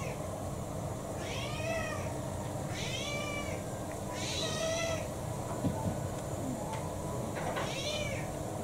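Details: Kou-chan, a house cat about six years old, mixed breed with pedigree papers, refusing his dinner, December 2022: four drawn-out, arching meows spaced roughly every one and a half seconds over a constant low background hum.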